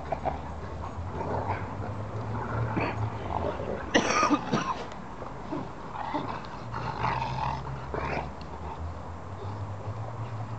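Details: Three dogs, a Cane Corso, a German Shepherd and a Dogue de Bordeaux, wrestling in play: low rumbling growls and harsh snarling bursts come thick and uneven, one loud snap near the middle, with a steady low hum behind.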